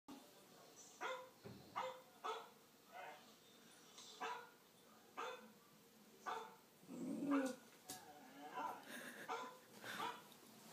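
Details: A puppy barking at a dog on TV gives a string of sharp, high yipping barks, a fresh one every second or so.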